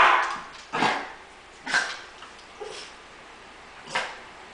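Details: Female pet dog indoors, protesting because her owner wants to take a shower: hoarse, breathy bark bursts about once a second, then a longer pause before a final bark.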